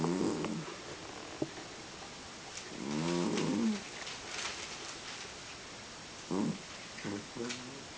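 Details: An elderly domestic cat asleep indoors, snoring in uneven rough breaths with ribbed harmonic tone, a longer drawn-out snore in the middle, surrounded by soft clicks, rustling and faint human noises.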